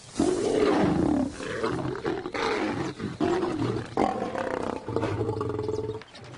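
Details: Wild lions, a father reacting to rebellious cubs ahead of mating rivalry: a series of deep, growling roars with strong rasping harmonics, rising and falling in long sustained bouts, then a lower rumbling fade.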